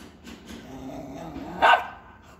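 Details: An Indian Spitz gives one sharp, high bark after a low, grumbling lead-in, barking at a featherless peacock, over faint background noise.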